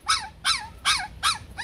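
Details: Vietnamese Bac Ha dog of the shaggy type, bred at a kennel. It gives a steady run of five high, downward-sliding yelps, one roughly every third of a second, each ringing with strong overtones.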